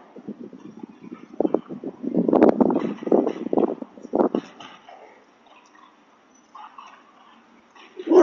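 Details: Outside a house, a dog chases a delivery person and barks in quick, loud bursts through the middle seconds, mixed with voices. A quieter stretch follows, then one last loud bark at the end.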